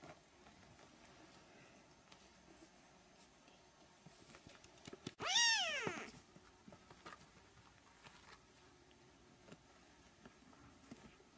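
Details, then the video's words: Three-week-old Siamese kittens indoors: one loud, high-pitched meow rises sharply then slides down, lasting under a second, with rich harmonics, surrounded by quiet room noise and faint clicks. "Siamese kittens (3 weeks)"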